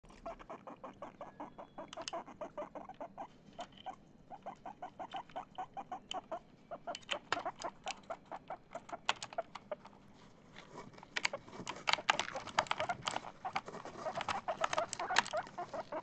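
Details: Guinea pig named Chip, excited while trying to play Among Us, gives long runs of short, clucking pulses several per second, rising in density toward the end, with sharp clicking taps mixed throughout.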